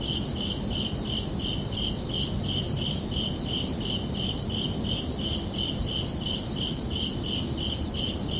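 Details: Regular high-pitched chirps from crickets at night, repeating about twice a second in an unbroken rhythm, with a steady low rushing background noise.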